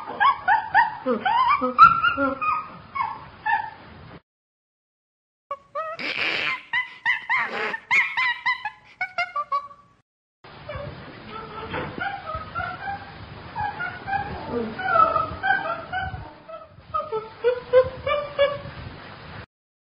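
Chimpanzee calls: shrill, wavering whimpers and screams, rising and falling in quick repeated bursts.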